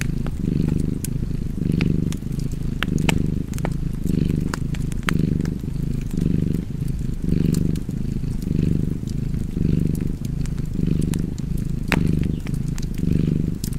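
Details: Cozy cat purr, a low continuous vibrating hum that surges on each breath, about fifty cycles a minute, over a background of steadily crackling fire.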